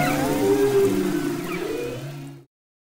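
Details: Humpback whale song off Maui's west coast, February 2011: a sustained tonal moan, then a rising sweep and low groan fading away into silence.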